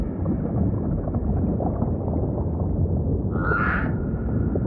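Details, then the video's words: Humpback whale song: a single bright, rising-then-falling cry with rich overtones near the end, standing out over a dense, hissing underwater noise bed. "Majestic Whale Song · beautiful humpback"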